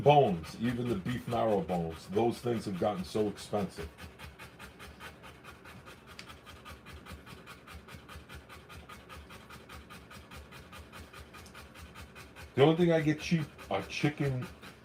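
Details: Rottweiler panting while giving birth to puppies: rapid, rhythmic breaths repeated steadily through the middle stretch, with human speech at the start and again near the end.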